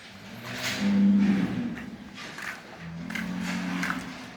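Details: Bulls on a farm in Quva district, Fergana region, Uzbekistan, a herd of 200 including Kyrgyz, Swedish, Kalmyk and hybrid animals: two low, droning moos, the first swelling then fading, the second steadier, with faint clatter and background noise.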